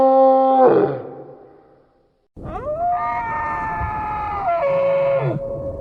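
A moose gives a drawn-out, nasal moan that rises and holds steady, then drops at the end.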